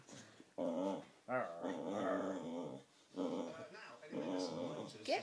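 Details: Boxer dog growling while playing tug-of-war, said to rarely growl and hit a few high notes; rough voiced growls in bursts with rising whiny ends, separated by short pauses, in a small indoor room.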